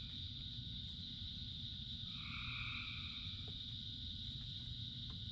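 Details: Frogs singing in rain: one drawn-out, slightly wavering croak near the middle rises above a sustained shrill chorus, backed by a steady wash of heavy rainfall.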